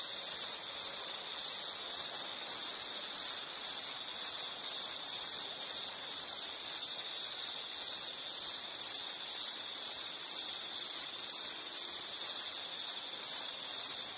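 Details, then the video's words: Pulsing insect song: high, shrill trilled bursts repeated roughly twice per second in a steady rhythm, no other sounds present. "Sound · Nature Sound of nature sounds scenery L · insect"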